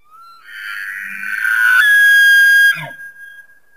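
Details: Elk, also called wapiti, giving a loud, high whistled call that starts low, rises and holds a steady piercing tone for about two seconds, then breaks off into a brief lower, rough descending grunt at the end.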